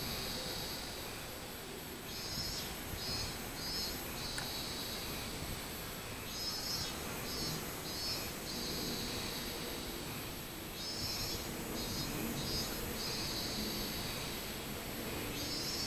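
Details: Robust cicada (minmin-zemi) singing, recorded 24 July 2016: high, pulsed buzzing notes in short rhythmic bursts, phrases rising and falling over about four seconds and repeating, set against a steady low rumbling background noise.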